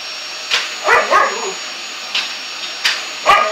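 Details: Winnie, a bulldog who hates the vacuum cleaner, gives a few short sharp barks and a yelp around the first second over a steady mechanical vacuum drone, with scattered clicks and knocks.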